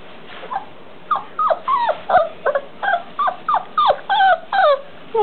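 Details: Four-week-old English Mastiff puppies: a rapid string of short, high, falling whines and squeals, roughly a dozen yelps in five seconds, over steady low background noise.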